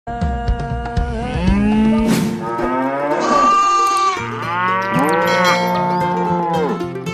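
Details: Sacrificial cattle at a Qurban slaughter: long, deep, drawn-out moos with rich layered tones, several overlapping and bending in pitch, over continuous background music.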